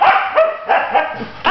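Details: Husky Malibu, a new female pet, protests at being told to leave her bed, producing repeated drawn-out yowls and whines that rise and fall in bursts, separated by brief pauses.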